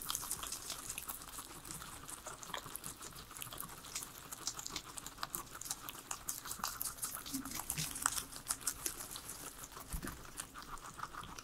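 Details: Indoors, three pet guinea pigs enjoy their salad, giving bright, rapid crunching and wet-sounding munching that crackles throughout, with occasional louder bites and no music.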